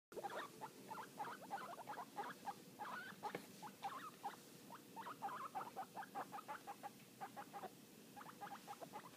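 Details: Two young guinea pig brothers under six weeks old, described as happy, making a rapid, busy stream of short squeaks and chirps, a few per second, with steady patter and shuffling between calls.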